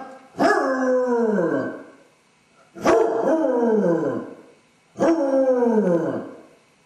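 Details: With its owners gone, a distressed basset hound paces the empty house and howls: three drawn-out howls, each opening with a sharp yelp and then sliding downward, repeated about every two seconds.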